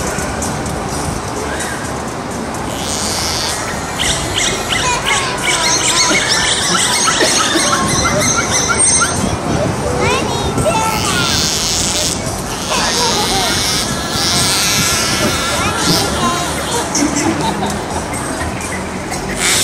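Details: Four dolphins at SeaWorld Orlando vocalize through their blowholes during a show on June 1, 2023: rising and falling squeaky whistles and chirps over a murmuring crowd and background music.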